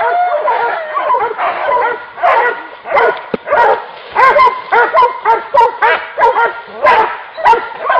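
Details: During a wild boar hunt, hunting dogs keep up excited, overlapping yelping barks, pulsing in rapid volleys of arched notes with brief gaps between bursts.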